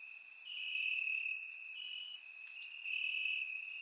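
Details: Night chorus of crickets in Bulgarian summer grass, recorded in surround sound: a sustained, shimmering high-pitched trill swelling and easing, several insects overlapping with no other sounds.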